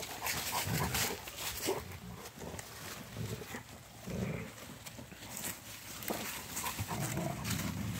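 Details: A trio of Rottweiler dogs tussle over a stick during a snowy winter walk, with deep, throaty play growls rising and fading between bouts of rustling, scraping movement.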